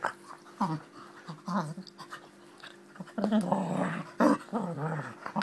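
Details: Play-fighting Springer Spaniel growling loudly and repeatedly, its deep, wavering growls rising in intensity toward the end, with brief whimper-like notes and scuffling in between.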